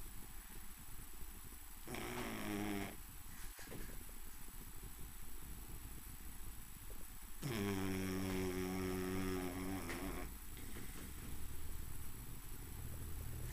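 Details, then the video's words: A sleeping pet dog snoring indoors, two loud drawn-out rasping snores with layered tones, one short near the second mark and a longer one lasting about three seconds, separated by quiet low breathing and steady room hiss. "My dog snoring"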